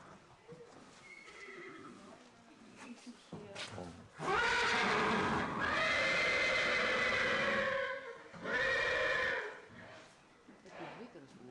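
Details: Arabian horses at a stud farm in Gkiona, Xanthi, Greece: after quiet talk and shuffling, one long, loud, harmonic-rich whinny lasting about four seconds, then a second shorter whinny, with people speaking in between.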